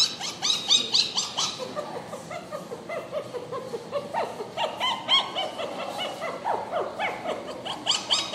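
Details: Purebred poodles yelping and whining in a busy, overlapping chorus of short high cries, several animals calling at once without pause.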